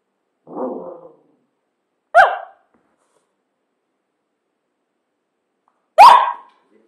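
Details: Cavalier King Charles Spaniel named Zippy giving three short barks: a lower muffled woof, then two sharper, brighter barks about four seconds apart, with silence between.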